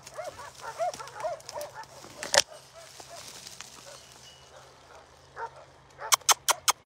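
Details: An abandoned puppy girl, found outside Takis Shelter with many ticks, gives a burst of high, bending whines that fade into softer whimpers, followed by a series of loud sharp clicks and taps.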